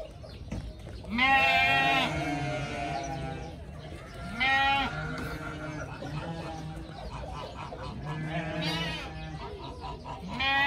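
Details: Group of playful pygmy goat kids running, jumping, chasing and head-butting each other; several wavering, quavering bleats about a second long, rich in harmonics, come every few seconds over a low background rumble.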